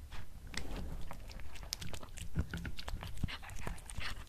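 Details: Black cat eating beef snacks indoors in a small room, close-up: rapid crisp crunches and bites scattered across a steady low rumble, with wet chewing clicks coming in quick succession.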